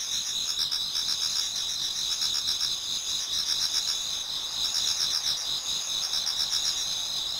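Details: A chorus of many insects in a Japanese garden on an autumn night turning to dawn; unbroken high ringing trills with throbbing pulsed chirps rising and falling in waves.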